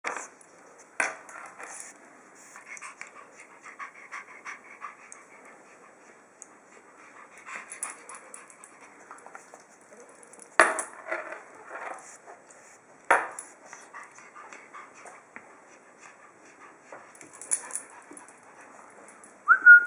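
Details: Oliver the pug on day 20 with his new dog tag: steady snuffling, panting breaths indoors, with several sharp clicks and faint high metallic jingles.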